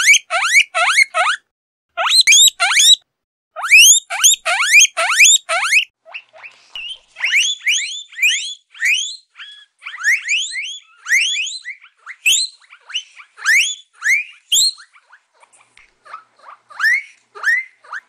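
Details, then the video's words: Guinea pig giving loud, shrill rising squeals in quick bursts, each a sharp upward sweep repeated several times per second, with short pauses between bursts and a softer, more spaced run of squeals in the second half. "Guinea pig sounds"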